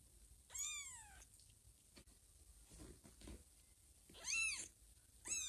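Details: Young kittens Teddy, Chloe and foster kitten Blackie playing at bedtime on a green pillow; three clear high-pitched arching mews, about one a second at first then after a pause, with faint rustling between.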